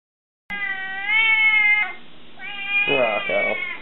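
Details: ['Scirocco, a 20-week-old Savannah cat, gives a long, drawn-out tonal meow that holds steady, dips briefly and then returns as a second rougher, wavering call, with no other clear sounds.']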